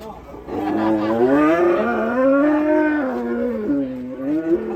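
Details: Raging cattle giving a long, loud bellowing moo with rich harmonics, the pitch wavering up and down across nearly four seconds, rising and falling in a strained, drawn-out cry; faint voices underneath.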